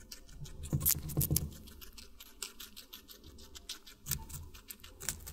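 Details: A guinea pig munches watermelon in close-up: rapid, juicy crunching in quick irregular bursts, two strong bites near the first second, then steady chewing with another loud cluster around four seconds.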